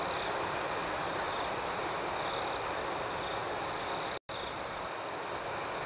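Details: Crickets at night: a steady, high-pitched chirping chorus pulsing about four times a second. The sound breaks off briefly near the end, then resumes.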